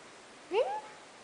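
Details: Golden Retriever puppy, one of six playing together on 15/08/2011, gives a short rising whine that bends into a drawn-out whistle-like tone; quiet room background.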